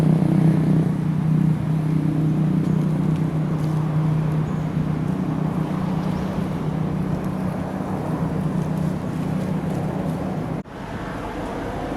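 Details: Steady low engine rumble with a constant hum, like a running vehicle or boat motor, cut off by a sharp break near the end; no animal calls stand out.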